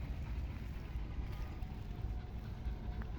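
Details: Low rumbling wind or engine-like noise is all that is heard, with no animal calls.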